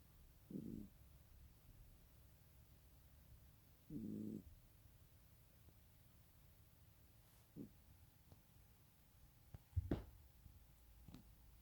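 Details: A sleeping cat snoring in two short, low, rumbling breaths about three seconds apart, with faint clicks and a brief knock later in a quiet room.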